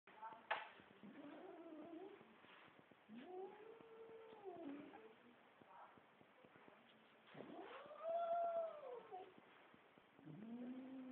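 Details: Domestic cat calling in a humorous pet compilation, giving a series of drawn-out, arching meows that rise then fall, spaced a few seconds apart, the longest near the end; quiet recording with faint background noise.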